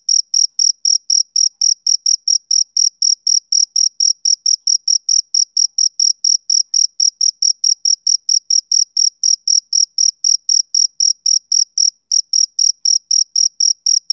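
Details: Male cricket chirping on a summer evening: a steady run of short, high, pure chirps, about four per second, each pulse sharp and evenly spaced, with a faint higher overtone and no other sounds.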